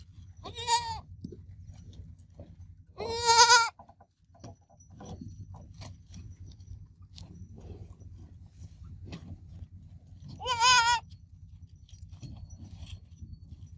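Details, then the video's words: Baby goat kid producing three wavering bleats, one short, two longer, spread over the recording against a constant low hum with scattered rustling and knocks. "Baby Goat Sounds Babbling Sound Effect Goat Kid Sounds Effect"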